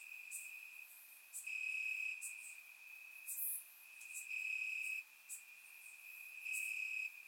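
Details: Crickets chirping in grass on a warm summer night in Bulgaria: a steady high trill runs throughout, swelling into louder pulsed bursts about every two seconds, with brief higher chirps from other insects layered above.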